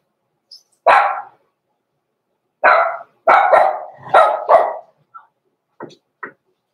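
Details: Barking Cavalier King Charles Spaniel puppies, blenheim litter of Pom-Pom born November 14, 2022, in an indoor puppy pen before Christmas: a single bark, a pause, then a rapid run of four barks followed by a few soft, clipped yaps.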